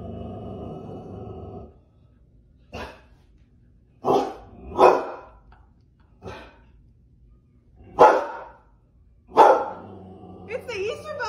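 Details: Golden Retriever puppies giving short, separate barks and yips, about six spaced a second or two apart, some with a rough growly edge, after an opening stretch of background music.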